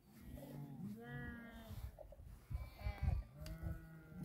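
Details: Sheep in a large flock of around 2000 watched over by eight Tibetan Mastiffs, Dhorpatan, Nepal; overlapping drawn-out nasal bleats from multiple animals, with low thumps and background rumble.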